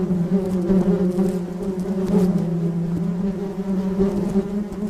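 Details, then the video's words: A bee in flight hums continuously, a deep even drone layered with bright harmonics that wavers a little in strength across the short stretch. "Flying Bee Sound Effect"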